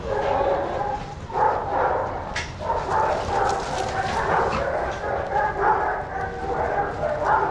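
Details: Several dogs playing together in a shelter yard at Pima Animal Care Center, Arizona, watched by handlers; short, repeated barks and yips follow one another steadily through the clip, with human voices in the background.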